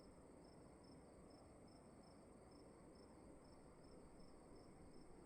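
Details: Faint, high, evenly spaced chirps of a cricket in a dark room at night, partly blurred into the steady low hiss and hum of the room.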